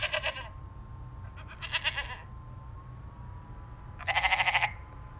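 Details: Domestic goat on a farm bleating in three short bursts spaced over about four seconds, each a fast quavering, pulsing cry with bright overtones, quiet pauses between, a soft background hum throughout.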